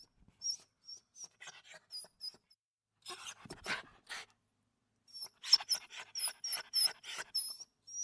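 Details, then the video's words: Dog crying with short, very high squeaky whimpers in quick bursts, separated by brief silences, and a cluster of breathy, noisy sniffs and snorts in the middle. "CACHORRO CHORANDO"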